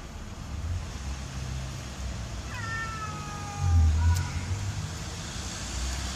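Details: Pet cat Sokrates, who wants to eat the bathroom palm tree, lets out a single drawn-out descending meow over steady low rumbling background noise, followed by a brief thump.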